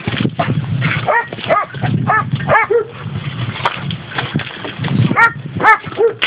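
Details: High, arched yelps and whining barks come in bursts from dogs among six labrador and schnauzer crosses awaiting adoption in rural Valencia province, Spain, over a rumbling background.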